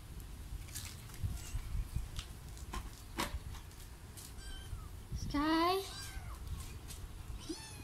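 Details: Sky, a pet cat, while being given medicine: one short, clear meow that rises and then falls near the end. Before it come people talking and soft clicks and knocks.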